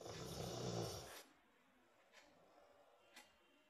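A Rottweiler gives one long, rough, rattling snore, then the room falls nearly silent.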